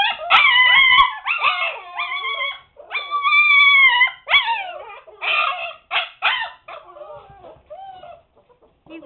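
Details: Siberian Husky puppies, seven weeks old, confined to a puppy pen and making a racket. A run of strong, wobbling howls, each lasting one to two seconds, gives way to shorter, softer whimpers that fade toward the end.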